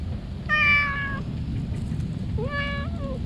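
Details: Stray cat sheltering under trees calls out happily at the sight of a person: two clear, tonal meows, the second starting low and bending upward before dropping, over a constant low outdoor rumble.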